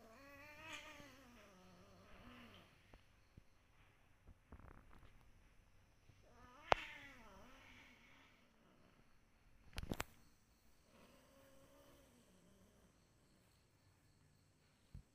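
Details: Domestic cat meowing repeatedly indoors: long, wavering, whining meows around the start, middle and end, separated by quiet stretches with a few sharp knocks and clicks.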